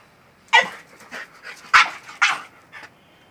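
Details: French bulldog excited by a goat lets out three loud, sharp barks within a few seconds, with softer yips between them.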